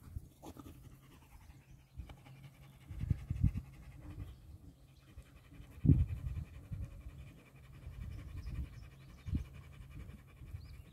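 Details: Three dogs, Nix the Lab, Lola the husky-shepherd mix and Happy the dachshund, roughhousing; low panting and throaty grunts come in bursts, with a louder growling scuffle near the middle.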